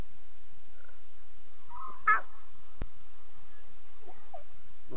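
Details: Single brief, rasping mew from a lion cub at night, 2:40 a.m., 5 October 2016, then a faint softer cry near the end over a hushed background.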